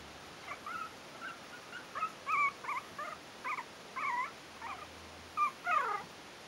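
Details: Yorkshire terrier puppies, four weeks old, from the Stellar Garden kennel's "A" litter: a string of short, thin, high whines and yips, some bending up or down, spaced irregularly over a faint steady hiss.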